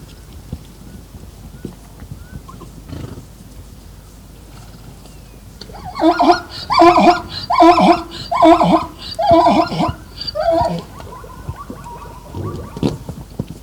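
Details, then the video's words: Zebra braying in the wild: after a quiet start, a series of about six loud, harsh, rhythmic honking brays repeated roughly every half second, followed by a fainter drawn-out call and a soft snort near the end. "Zebra Sounds"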